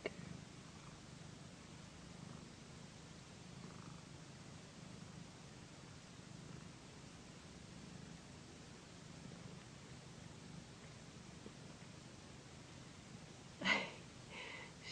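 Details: Pet cat Pandy, a female and loud purrer, purring while receiving a massage on a satin pillow indoors; a steady low rumbling purr runs throughout, with a single sharp click near the end.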